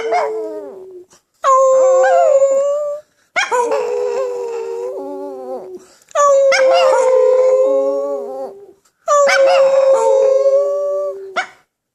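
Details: A Chihuahua sings along with people, giving four drawn-out, tuneful howls, each about two seconds long and sliding slightly up and down in pitch, separated by brief silences.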